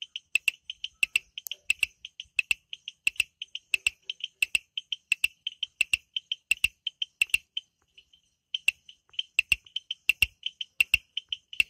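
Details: Frogs calling at night in the Amboli hills forest, Sindhudurg: a steady chorus of short, high, pulsed chirps in quick series, overlaid with sharp, clicking ticks repeating over one another, with brief pauses between bursts.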